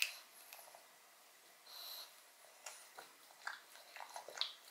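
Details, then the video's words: Short burst of a pug called Odin munching bone marrow: faint wet smacks and licks followed by a few crisp clicking bites toward the end. "Dog Eats Bone Marrow [Pug/Mukbang]"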